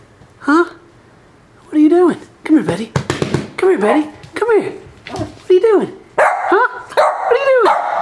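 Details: A female Corgi puppy stuck under a couch cries in a quick series of high, rising-then-falling whines broken by short yelps, in bursts about every half second to second.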